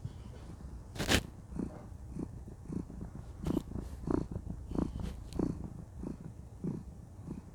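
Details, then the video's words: Contented cat, a female, purring during a cuddle: deep rhythmic rumbling that swells with each breath about every 0.6 seconds, with one sharp click near the start. "Cuddle Time: Enjoy the Sweet Sound of Purring"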